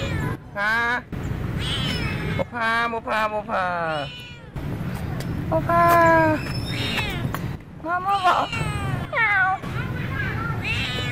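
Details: Female domestic cat in Siem Reap, Cambodia, meowing as she walks after the camera; a run of loud, drawn-out meows, some rising and falling, come in quick bursts with short pauses, over low background rumble.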